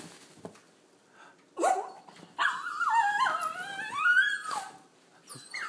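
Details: Pet Havanese dog, one of two dogs, watching its owner pull into the driveway and 'saying it's Mama' in excitement: a long, wavering, howl-like vocalization sliding up and down in pitch, in two drawn-out phrases, with a brief yip at the end.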